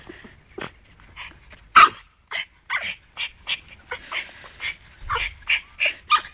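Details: Dog going wild on a snowball outdoors, attacking and destroying it. Series of short, rough, grunting yips and growly bursts, about a dozen in quick succession with brief pauses. One louder bark-like burst comes near the two-second mark.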